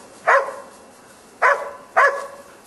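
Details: Korea Tri Hound on a wild boar hunt giving three loud, harmonic barks: one, then a pair about half a second apart, over a quiet background.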